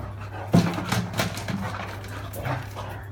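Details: Great Dane and Beagle dogs fighting: a harsh, gruff outburst opens the scuffle, followed by several rough snarling bursts over about three seconds, with a steady low hum running underneath throughout.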